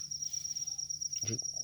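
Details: Rice-field cricket giving a continuous high-pitched ringing trill, even and unbroken, until a man's short spoken word cuts in near the end.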